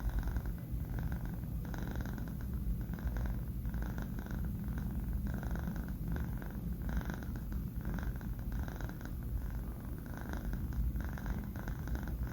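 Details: Asleep indoors, Banh Mi, a four-month-old male cat, snores steadily. A low vibrating drone is pulsed by regular airy breaths, roughly two per second, over about twelve seconds with no other sounds.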